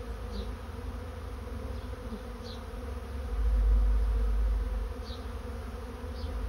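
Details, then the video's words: Swarming honey bees moving into a trap give a constant low droning hum; midway a deep rumbling surge swells and fades, and several short higher buzzes of passing bees stand out. "Bee swarm moving into trap"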